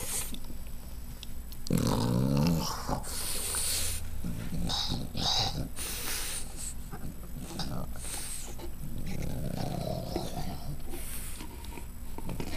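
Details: Domestic dog snorting, with low, rasping, snore-like bursts coming in quick irregular runs over several seconds, mixed with brief rustling and faint background sounds in a small room.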